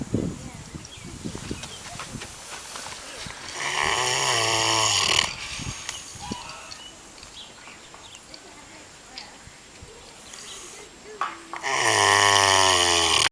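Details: A pig on a farm in New Zealand snoring heavily: two long, loud, rasping snores with a droning, buzzy tone, separated by several seconds of quieter breathing, with human speech heard in the background.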